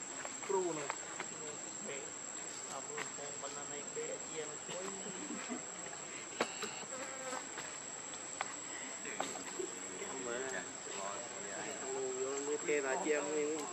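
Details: Hungry baby monkey Lucie begs for milk with a long series of quavering, harmonic whimpers that keep rising and dipping. Occasional clicks and a constant high background hiss are also heard.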